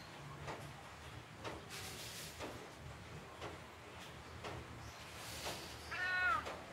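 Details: A neutered male tabby named Kyle licks his fur relaxedly on a rainy afternoon at home. Moist clicking licks come roughly once a second, then a brief, clear, slightly falling meow closes the passage.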